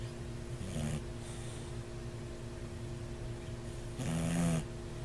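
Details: A sleeping bulldog, its snoring possibly a sign of sleep apnea, gives two short rasping snores about three seconds apart, the second louder. A steady low droning hum runs underneath.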